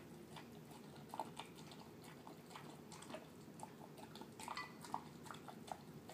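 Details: Pet terrier mix enjoying a dinner of canned food and kibble. Moist smacking and chewing clicks come in uneven bursts, growing busier near the end, in a quiet small room.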